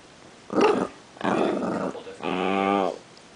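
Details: Indoors, a Chihuahua growls while getting acquainted with another dog and trying to play nice. It makes three rough growls, and the last is longer, steadier and more tonal.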